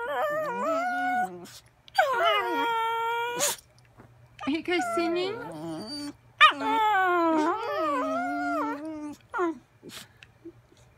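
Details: Dogs singing: long, wavering, harmonic howls, rising and falling in pitch, several drawn-out notes of one to three seconds with short pauses between, and a steady low hum in the background.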